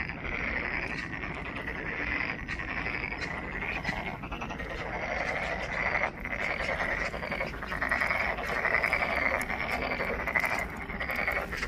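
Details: Many frogs croaking together in Monet's Pond at Ulsan National Garden, Korea; a loud, buzzy, rattling chorus that builds slightly toward the end, with scattered sharp clicks among the calls.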